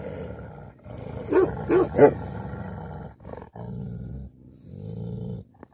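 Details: Angry Tibetan Mastiff, or Bhote Kukur, growling in a long low rumble, broken by three short gruff barks early on, then more steady growling.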